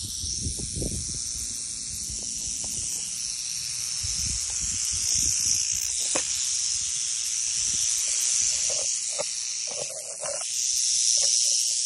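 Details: Small Western diamondback rattlesnake rattling: a steady, hissing high buzz held without break for about twelve seconds, slightly louder in the second half, with faint low rustles and thumps beneath.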